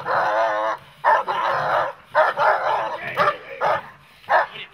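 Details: A German Shepherd or Malinois in protection training barks hard and continuously. A long rasping volley opens, then shorter clipped barks follow at uneven intervals.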